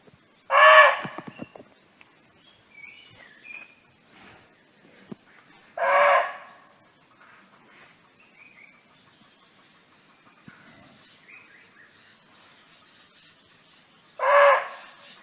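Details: Barking deer living freely in the wild, calling out to a companion: three short, harsh barks spaced irregularly several seconds apart, with quiet bird chirps and rustling in the gaps between them.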